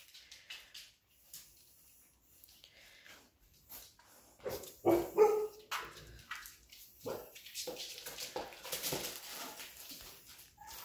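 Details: Labrador Retriever puppies reacting to a woman calling them: scattered short yips and whimpers mixed with rustling and scuffling, growing busier in the second half of the recording.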